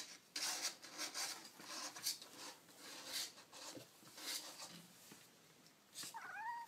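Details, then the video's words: Baby kittens indoors: a soft, high, slightly wavering mew near the end, rising then falling, after several seconds of scratchy rustling and handling noise. "Baby Kittens Making Cute Noises"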